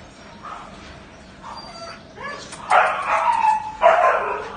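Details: Wooly agouti Siberian Husky in the Philippines: a few soft whimpering yips, then two loud, harsh, drawn-out howling cries, each lasting about a second.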